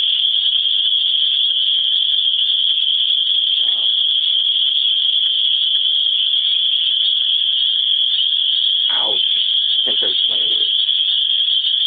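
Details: Cicadas, called swamp bugs, in Griffith, Indiana, form a loud, unbroken, high-pitched droning buzz that never wavers, with a few faint murmured words of a man barely showing beneath it.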